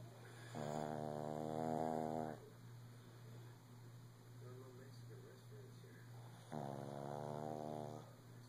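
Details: A male Shih Tzu, lying down with his owner early in the morning, gives drawn-out snores, each a rough, rumbling, buzzing rattle of about two seconds, with quieter breathing and a steady low hum between snores.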